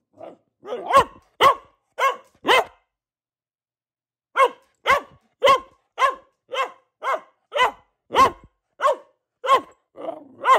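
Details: Female Boxer barking indoors: a burst of four sharp barks, a silent gap of nearly two seconds, then a steady run of about ten more barks, each short and strongly harmonic.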